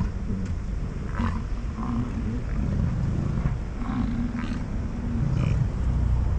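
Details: American bison in rut around Grand Teton, Jackson Hole and Yellowstone, morning, amid fighting and mating; repeated deep, growling roars, each roughly a second long, with faint higher scrapes and clicks over a continuous low rumble.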